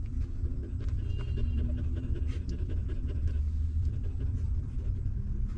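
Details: Hungry puppies sucking milk from their stray mother; quick, low, wet smacking pulses repeat densely through the short stretch, with a soft low hum beneath.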